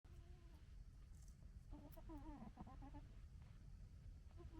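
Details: A male red fox cub gekkers at his sister cub in quick, stuttering, throaty chattering bursts over a low background rumble.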